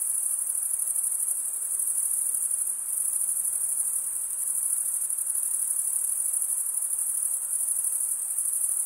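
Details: Male crickets stridulating, rubbing one wing's toothed vein against the other. They make a continuous, very high-pitched shrill trill that holds steady at an even loudness throughout, with a faint soft hiss beneath and no other animals or voices.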